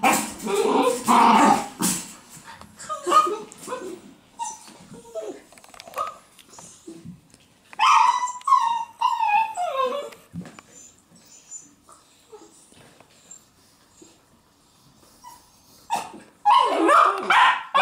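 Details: Sealyham Terrier puppy giving thin, high whimpers and squeaky yips in bursts, with human speech at the start and end and quiet gaps between.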